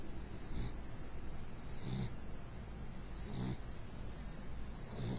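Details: Princess, a mixed beagle, asleep and snoring: four hissing breaths with a low rumbling undertone, spaced roughly every one and a half seconds, against a steady low background hum.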